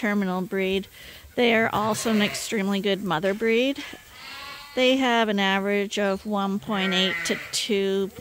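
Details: Suckling lambs at feeding time, topped up from a hand-made bottle rig twice daily, bleat almost without pause. The cries are tremulous and often slide upward, with several voices overlapping at once.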